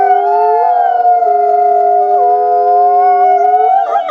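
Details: Wolf pack howling to communicate and bond: two long, steady tones held in parallel, one voice stepping down then back up midway, ending with a brief rough break.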